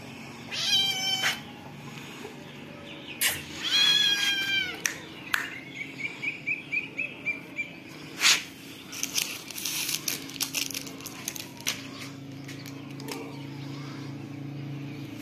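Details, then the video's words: Cat and kitten: several high, wavering meows with rich harmonics in the first five seconds, one drawn-out rising cry, then a run of short clicks and rustles over a low steady hum. "Funny cat and kitten moving sound"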